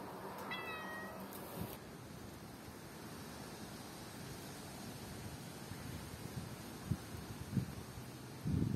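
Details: Cats walking in a backyard. One short harmonic meow sounds near the start, then a steady outdoor hiss fills the rest, with a few soft thumps toward the end.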